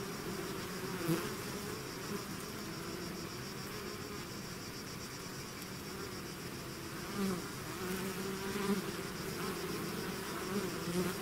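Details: A bee swarm leaving its hive produces a rich, steady buzzing drone, with several individual bees zipping past the microphone in short louder bursts around the middle and end.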